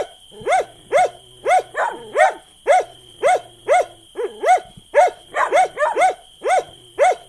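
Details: Repeated dog barks at about two per second, each a loud, arched yap, with a few rapid overlapping barks near the end as another voice joins, over a constant faint hum.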